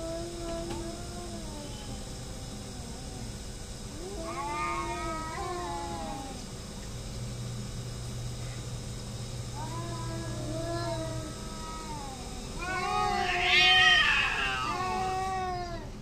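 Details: Two cats fighting and hating each other, trading long wavering, moaning yowls in drawn-out bursts that rise and fall in pitch, building near the end into a louder, harsher screech, over a steady background hum.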